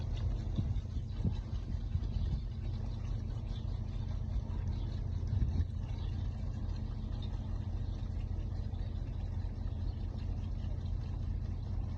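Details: A continuous low engine rumble fills the recording, with no bleating or other animal sound.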